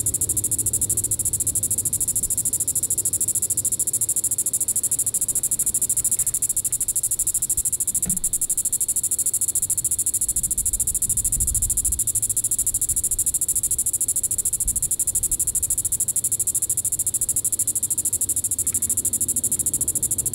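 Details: Diceroprocta vitripennis cicada, Reno County, Kansas, July 20, 2014, calling at evening in Sand Hills State Park: an unbroken, very high buzzing drone with quick rhythmic pulses, plus occasional soft low thumps and rumble.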